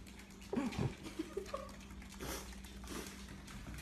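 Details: Puppies whimpering indoors: a few short, wavering whines that bend up and down, crowded into the first second, then softer squeaks, over a steady low hum and faint background music.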